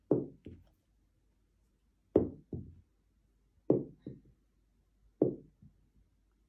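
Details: Paired knocks repeat about every one and a half seconds in a quiet room, each pair a louder rap followed by a softer one, with no animal voice.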